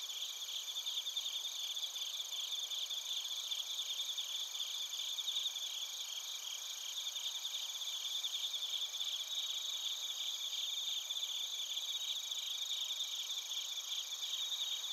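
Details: Long stretch of bell crickets and other crickets singing in Narita, Chiba, Japan, recorded with a TASCAM Portacapture X8. Rapid, evenly pulsed high chirps sound continuously without pause from several insects at once.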